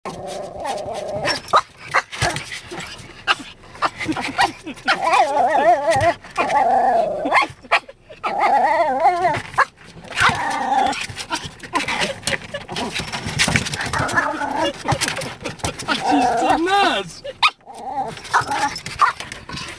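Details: Pet Brussels Griffon barking at a car's windshield wipers: a steady stream of sharp, high yappy barks mixed with wavering, whiny yelps, with few pauses throughout, over scraping and rustling background noise.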